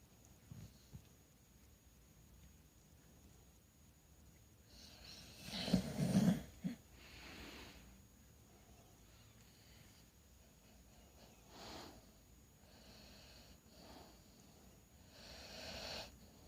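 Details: Bulldog snoring while a kitten chews on its ear; slow, raspy breaths, one loud snorting rasp midway, then softer rattling snores every few seconds, with a faint steady high tone in the background.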